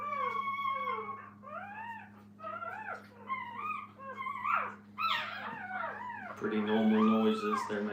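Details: Kennel puppies with their mom whimper in a string of short, arching, tonal whines, growing louder and more crowded, before a person starts talking near the end over a low background hum.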